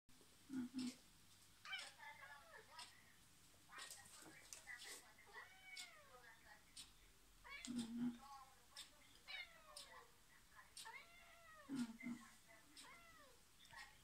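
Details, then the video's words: Domestic cat giving a string of high, arching meows that rise then fall, often in quick pairs, with a few short sharp cries, over a low murmuring background and soft thumps in a small room. "Cat meow"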